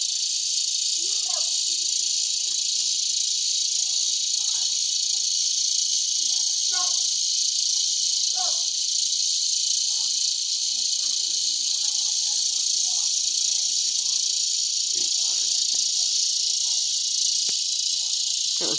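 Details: A dense cicada chorus in Broken Arrow, Oklahoma, in August 2020 makes a steady, high-pitched hiss, with occasional faint lower sounds beneath, including a big dog.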